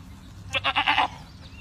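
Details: Boer goat kept on a farm, giving a single bleat of about half a second, broken into four or five quick wavering pulses, over a low background hum.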